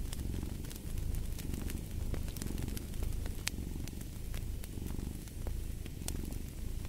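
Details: Continuous low, throbbing cat purr rising and falling in regular breath cycles, with frequent crisp snaps of a crackling fire throughout.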